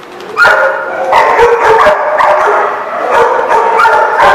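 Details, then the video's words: Loud, rapid dog barking up close, recorded on 28 March 2014; a nearly continuous string of harsh, harmonic barks and yips, several per second, with no other clear sounds. "The Barking Lot"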